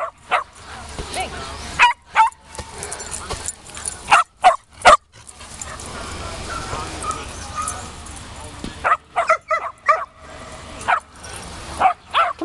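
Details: Shetland Sheepdogs having fun with a ball at a 2015 reunion. Scattered short barks come in irregular clusters, with quieter gaps between them, over steady crowd chatter and background murmur.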